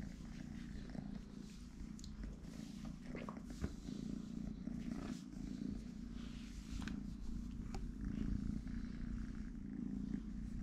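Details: Three-legged kitten named Totoshka purring: a steady, low rumbling drone running through the whole stretch, with faint scattered clicks and rustles above it.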